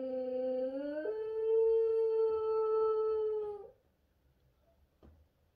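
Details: French Bulldog. A French Bulldog lets out a sustained, wolf-like howl, beginning low and wavering before jumping up to a held, even tone. The howl lasts nearly four seconds and then breaks off into quiet.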